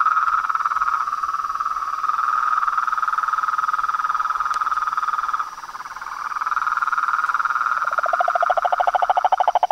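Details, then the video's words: Frog and toad chorus recorded at nightfall at a pond in front of a house veranda: dense, continuous trilling croaks around a steady pitched band, with a rapid pulsed trill rising in the final seconds. "A SINFONIA DOS SAPOS, RÃS E PERERECAS"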